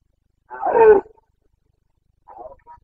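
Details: Carpathian red deer stag during the breeding-season boncănit in Bucovina, 29 September 2022: one loud half-second descending roar, followed by fainter, softer grunts.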